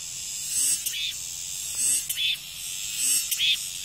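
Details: Cicada song of loud, buzzy phrases that pulse roughly every second and a quarter, each a surging shrill burst over a constant high hiss.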